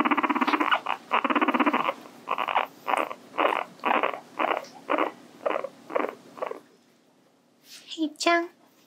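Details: Guinea pig Hii-chan, kept as a pet, starts with a long buzzing rattle, then gives evenly spaced short purring bursts about twice a second before falling quiet, followed by a few soft squeaky notes.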